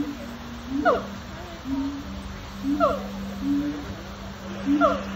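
Siamang howling, with short swooping whoops repeated about every two seconds over a low steady drone.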